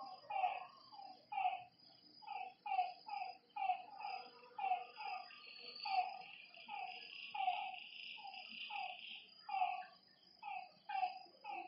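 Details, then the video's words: Several frogs at a lake after dark give clipped, throaty croaks in rapid irregular series, about two per second, while a buzzing insect swells briefly in the middle and a high steady whine persists. "Lakeside night creatures and frog sounds"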